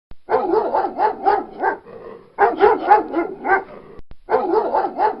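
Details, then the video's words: Barking from a pit bull with other dogs about: a dense, almost unbroken run of rapid, rough barks that sag briefly in loudness and then surge again twice. "TERRFICK DOG/// SOUND PIT BULL AND OTHER DOGS"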